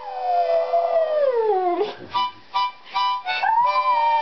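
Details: Little Lhasa Poo howls to a harmonica: a long falling wail sliding down, then short harmonica chords in bursts and a final rising held howl.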